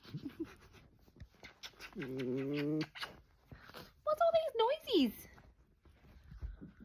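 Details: A dachshund makes a steady, low grumbling moan, then a yodelling whine that swoops up and slides down, while a woman chats to the dog before and between the sounds.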